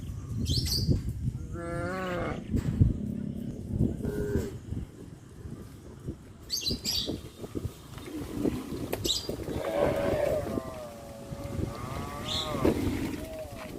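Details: Village cows heading along the road to their pen in the afternoon; scattered wavering moos of varying length, some with a quavering pitch, amid footsteps, clatter and occasional bird chirps.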